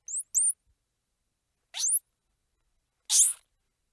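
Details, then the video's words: Squirrel monkey squeals: a pair of very high, short chirps, then two longer, harsh, upward-sweeping squeals about a second apart. "Squirrel Monkey Sound | Squirrel Monkey Squeals | Squirrel Monkey Noises | Squirrel Monkey Chirps"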